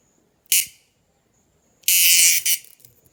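A night-calling insect gives two harsh, high buzzing bursts, the second longer and pulsing near its end.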